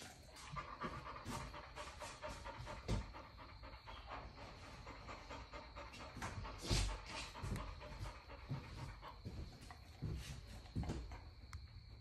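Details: Giant Schnauzer puppy panting steadily while getting a haircut, quick rhythmic breaths throughout with a continuous hum of grooming clippers and scattered clicks in the background.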